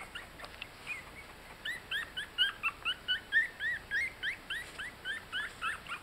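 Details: Yorkshire Terrier puppies 18 days old, newly walking, eating and resting together; soft whimpers at first build into a fast, regular series of high, curling squeaks, roughly four per second.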